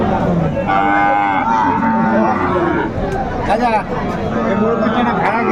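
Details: Market scene with Sahiwal breed bull calves, 9 January 2025: a sustained, even-pitched moo early on, followed by shorter bellows, set against constant human talk and haggling.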